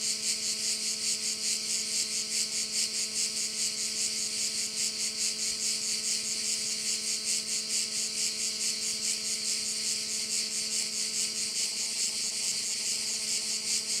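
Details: Crickets at a bay in Korčula: a dense, high, shimmering buzz that pulses about twice a second throughout, over a steady low mechanical hum with several tonal layers.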